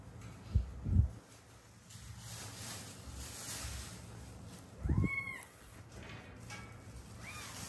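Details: Rescued Haeundae street cat, one of a mother-daughter pair that survived seven years with bones broken in a road accident: dull thumps open, then a single clear falling meow and a fainter one, over constant low background rumble.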